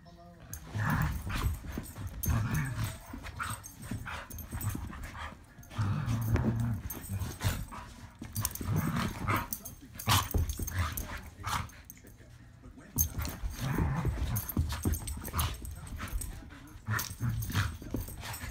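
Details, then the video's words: Border Collies rough housing together in play: continuous low rumbling growls and scuffling bursts, loud and irregular throughout, with occasional short barks and people talking and encouraging them. "Border collies rough housing"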